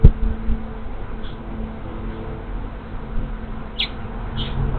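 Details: Honey bee swarm moving into an empty hive, 24 March 2023: a dense, low droning hum with steady humming tones, brief faint bird chirps overhead.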